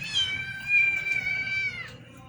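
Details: Domestic cats eating rice; one gives a single long, steady, high meow held for nearly two seconds before it dips and fades, with a woman calling out names just before and after.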